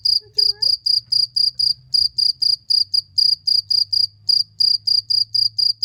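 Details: Loud cricket chirping: short, bright, high-pitched pulses repeated in a quick, steady rhythm, roughly four per second, with a brief pause near the middle and a faint low hum underneath.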